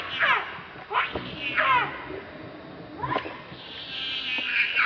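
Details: Angry monkey Rainbow protecting Lucie from Kachoy: quick, shrill, squealing cries that rise and fall, four bursts in under four seconds, then a higher, thinner wavering squeal at the end.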